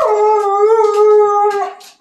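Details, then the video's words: Siberian Husky howling during play with its owner indoors; one long, steady, clear howl with rich harmonics holding nearly level pitch for almost two seconds before tailing off. "Husky Owen Plays And Sings"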